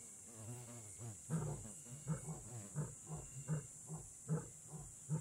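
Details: Lion in the Kgalagadi Transfrontier Park, Africa, starting with a rolling moan that breaks into a rapid train of deep grunts, about one every second, gradually spacing out.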